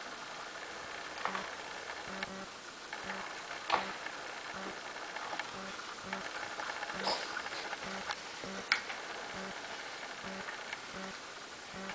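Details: Quiet room tone with a steady low pulse about every half second, faint speech-like murmurs and scattered clicks and taps.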